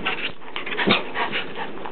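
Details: A three-year-old Rottweiler and an eight-month-old English Mastiff play indoors over the sole of an old shoe. Dense, breathy, noisy bursts of panting and growl-like huffs run throughout, with a person's voice nearby.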